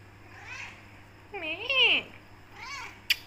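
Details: Becky, a black Persian tortoiseshell cat, meows at her owner, wanting to leave the room and get food; three harmonic, rising-then-falling meows, the middle one longest and loudest, over a low steady hum, ending in a sharp click.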